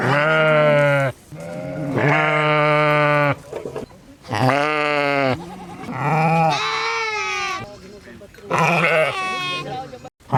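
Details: Sheep giving long, loud bleats, several in a row with short pauses. Some are steady and low, others waver and rise higher toward the end.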